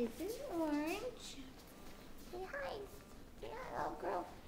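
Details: Five-week-old mastiff pups indoors giving high, wavering whines that arch up and fall, several drawn-out cries with short yelps between, a child's voice mixed in.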